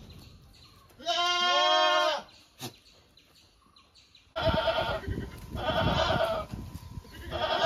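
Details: A goat gives one clear, drawn-out quavering bleat, then after a brief click and pause a louder, rougher stretch of overlapping bleats and noise fills the last three seconds.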